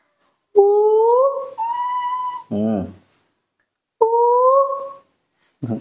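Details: A baby female monkey repeats smooth, tonal coos that slide upward and hold, with a brief rough, throaty burst between them, on a morning. These are begging calls asking for milk, which she makes every morning.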